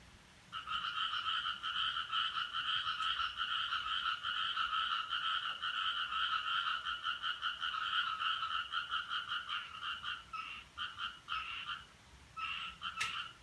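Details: Frog suspected behind a strange noise recorded on 7 July 2017 from 4:13: a long dense chorus of rapid two-toned pulsed croaks, nearly continuous for ten seconds, then breaking into shorter bursts, with a faint background hiss.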